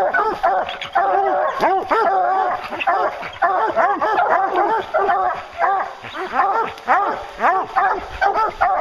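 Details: Hounds chasing a bear, many voices baying at once: loud, bell-like, pitch-bending barks tumbling over one another in a steady, excited run with brief dips in volume.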